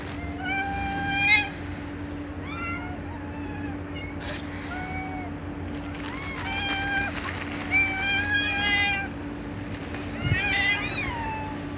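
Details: Cats meowing loudly, several overlapping harmonic meows of varied pitch, some rising and falling, amid a constant electrical hum and occasional noisy bursts.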